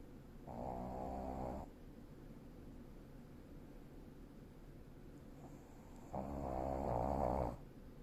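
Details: Senior Shih Tzu named Nii-chan sleeping and snoring: two long, rough, droning snores roughly five seconds apart, each about one and a half seconds, with soft near-silence between them in a small quiet room.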